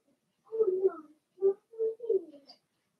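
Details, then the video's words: Blenheim Cavalier King Charles Spaniel puppies from Remy's first litter of six, two females and four males born March 7–8, in an indoor puppy pen during potty training; a run of short, mid-pitched whimpering whines in four bursts, nothing else heard. "Cavalier Puppies Live"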